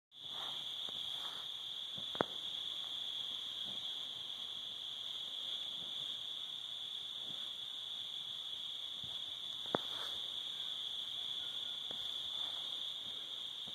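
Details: Crickets on a summer evening at sunset by a cabin with a fire: a continuous high, steady trill that holds one pitch throughout, with a few sharp clicks and soft crackles in the background.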